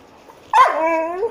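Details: Golden Retriever dog gives one sharp, loud bark that stretches into a drawn-out, tonal whine sliding slowly downward for nearly a second; a man's voice speaks quietly around it.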